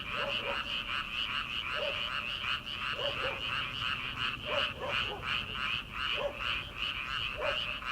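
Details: Night chorus of frogs in paddy fields as summer begins, before transplanting: thick rapid croaking in overlapping pulses, punctuated by deeper double croaks at irregular intervals of about one to two seconds.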